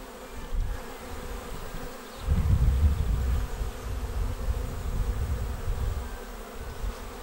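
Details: Arriving honeybee swarm entering a bait hive on 19 May, its deep buzzing drone swelling sharply after two seconds and staying loud and low, a thick wall of wingbeat hum.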